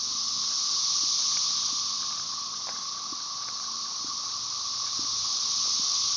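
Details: Brood XIX periodical cicadas at Tyler Bend Park near Marshall, Arkansas, May 30, 2011, Magicicada tredecassini with M. tredecim in the background; an intense, steady high-pitched hiss rising and easing gently, with a few faint clicks beneath.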